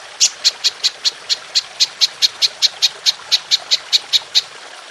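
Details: Golden grasshopper, featured in a masteran recording for songbirds, giving a run of some twenty short, piercing high chirps at a brisk, slightly uneven pace against a near-silent background.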